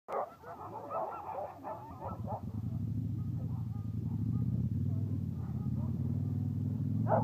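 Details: Sled huskies bark and yelp excitedly in quick bursts, then a steady low rumble takes over.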